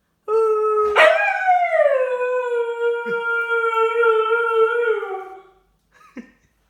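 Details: Dog named Lola gives one sustained howl indoors, jumping upward after a brief low note and then holding a steady, rich harmonic tone for about four seconds before fading, with a short yelp at the end.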